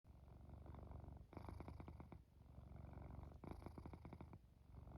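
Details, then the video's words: Domestic cat purring and snoring while falling asleep, a steady low rumble with two bursts of rapid pulsed purring each lasting about a second, soft and calm throughout. "Cat Purring, Snoring and Falling Asleep"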